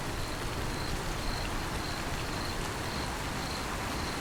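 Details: Cricket chirping in rain: short, high, thin chirps repeated about twice a second, steady and even, over a constant broad hiss of falling rain.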